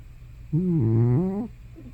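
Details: One drawn-out, droning moan of about a second from Hana, an old house cat of probably more than 15 years, snoring or talking in her sleep. The pitch dips low in the middle and rises again at the end.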